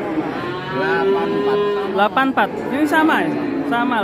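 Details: A massive Indonesian cow, taken away this morning without bargaining, gives a sustained even moo that holds one tone for about two seconds. Brief voices cut in midway, then a second wavering, rising low carries on to the end.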